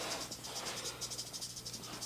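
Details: Captive-born female western diamondback rattlesnake, about three years old and 3 to 3.5 feet long, irritated after things were moved around her, makes a dry, high, hissing buzz that pulses rapidly throughout, over a steady low electrical hum.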